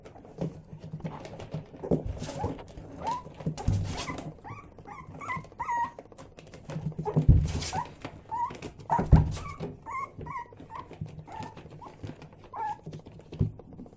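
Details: Six-week-old Yorkshire Terrier puppies indoors, giving many short high whimpers and squeaks, some rising and falling, scattered irregularly through the recording, with occasional thumps and handling noise in the room.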